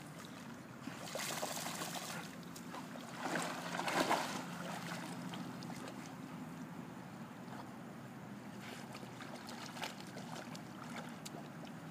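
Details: Quiet lake ambience with broadband bursts of splashing water around two to four seconds in and again near nine to eleven seconds, with no animal calls.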